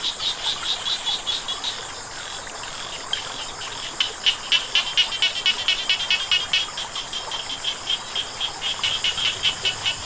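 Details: Frogs croaking near running water, loud quick series of sharp pulsed notes repeated in rhythmic bursts, strongest in the second half, with a continuous watery hiss underneath.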